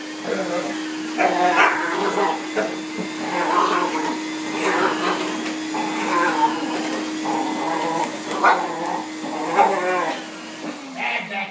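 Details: Daisy, a pet dog, reacts to a running vacuum cleaner. Short harmonic barks and whines come in bursts over the steady drone of the machine, with a woman's voice talking to her throughout.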